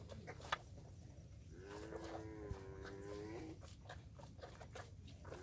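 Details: Water buffalo with two calves drinking her milk: one steady, nasal, drawn-out moo lasting about two seconds, with faint knocks and rustling around it.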